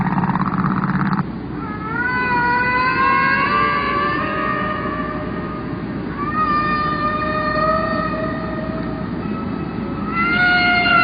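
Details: Humpback whale song: long, drawn-out tonal moans with rich harmonics, each note sliding slowly upward, part of long rhythmic sequences of sounds that repeat in patterns lasting about 15 minutes.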